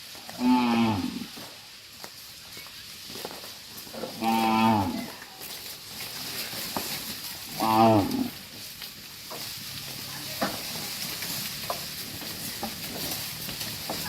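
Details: Dozens of tame farm cattle being herded back to the pen; three loud, harmonic moos about every three and a half seconds, then a steady hiss and light clatter.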